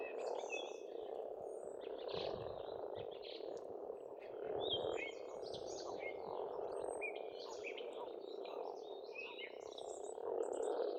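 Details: Frogs calling together at a pond in Estonia in spring: a dense, steady low croaking chorus without breaks, while songbirds whistle and trill higher above throughout.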